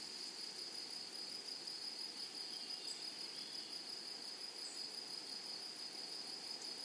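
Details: Grasshoppers in a flowery meadow or prairie give a steady, high, continuous buzzing drone that holds one pitch with no break, over a soft hiss of background noise.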